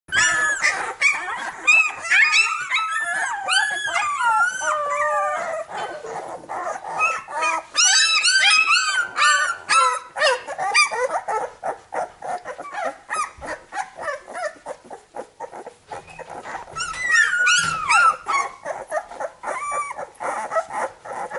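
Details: Labrador Retriever puppies in a litter, many overlapping high whining squeals and yelps rising and falling, dense and continuous chatter with brief gaps.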